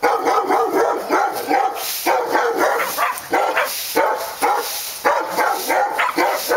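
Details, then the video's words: A pack of dogs at Park Drive barking almost nonstop, quick sharp overlapping woofs in rhythmic surges roughly every second, backed by steady hissing noise. "Barking Dogs"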